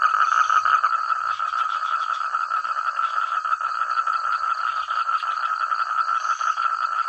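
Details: Frogs calling in unison across village rice fields; a dense, noisy wall of overlapping croaks with loose rapid pulsing, loud and continuous, plus a faint high-pitched drone overhead.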